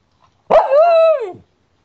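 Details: Cairn Terrier Tico gives one drawn-out, tonal bark lasting nearly a second. It starts with a sharp onset, holds a steady pitch, then drops away at the end, against an otherwise quiet indoor background.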